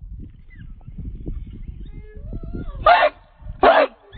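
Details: American Pit Bull Terrier, a 66-pound Redboy Jocko dog on the chain, gives two sharp barks near the end after a stretch of low rumbling noise and a faint rising whine.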